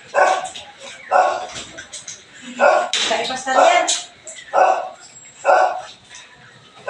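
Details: Belgian Malinois in the morning giving loud single barks roughly once a second, unevenly spaced, while a person talks between them.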